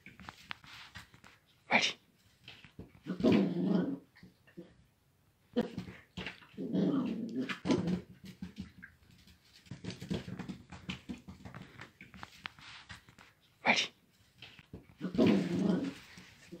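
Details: Dachshund growling and grumbling indoors in short bursts, with sharp yelp-like bark peaks near two and fourteen seconds and quieter rumbling between.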